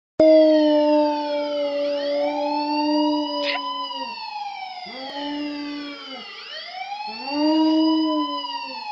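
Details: Max, a pet dog, howls along with a police siren: long steady tones with rich harmonics that droop in pitch at each break, layered under the siren's loud sweeping wails.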